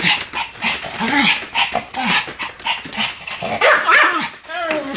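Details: Two Pomeranians named Sam and Marin barking together in a duet: rapid, sharp, high yaps tumbling over each other in quick succession for five seconds, some stretched into short whiny arcs, with a voice heard alongside.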